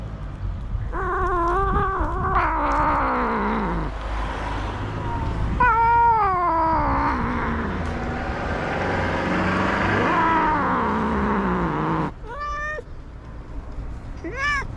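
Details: Stray tabby tom cat reacting to touch with a run of long, wavering, drawn-out meows and moaning yowls, followed by a brief pause and two short sharp meows near the end, over steady low hum.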